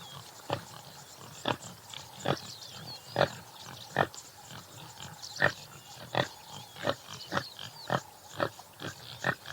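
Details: Topi (Damaliscus lunatus jimela) uttering clear, evenly spaced gruff grunts about once every second, with quiet bird calls in the background.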